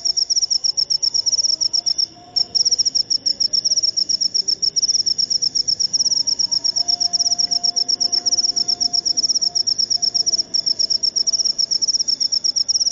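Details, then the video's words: A high, piercing pulsed chirping from a jangkrik upo cricket runs steadily, about four pulses a second, with a brief gap near 2 seconds. Soft, indistinct low sounds stay in the background. "Jangkrik upo"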